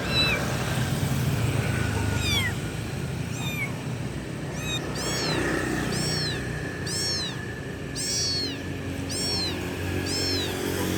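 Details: Kitten calling loudly for its mother: a run of short, high, arching meows, some single and some in quick pairs, repeated over a steady low rumble like passing traffic.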